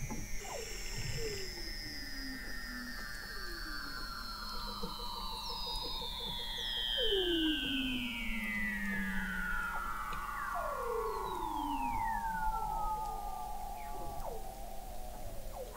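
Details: Weddell seals recorded in November 2017 from the McMurdo Oceanographic Observatory, 21 m below sea ice in McMurdo Sound, Antarctica: several overlapping long descending whistles, gliding down over many seconds, with shorter falling sweeps and a faint pulsed trill beneath.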